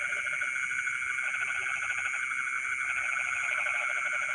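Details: Frogs calling in rice fields in the middle of the night: a dense chorus of rapid pulsed croaks in bursts, over steady high insect trilling and a constant buzzing drone.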